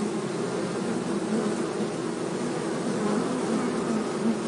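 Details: Honey bees in a forest at Hebri, being moved from a termite mound into a hive box by a beekeeper: a dense, steady, low droning hum with a constant pitch that does not pause.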